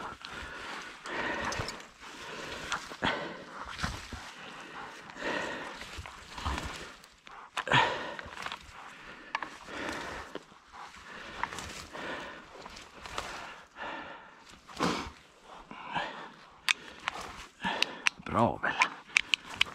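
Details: Female Laika hunting dog barks in short, sharp bursts while driving wild boar during a driven hunt.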